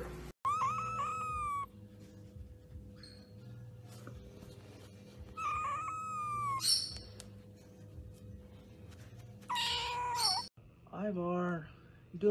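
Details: Domestic cat meowing indoors: several loud, tonal meows with rich harmonics, some rising then falling, spread over about twelve seconds, separated by quiet gaps with a steady low hum and brief clicks.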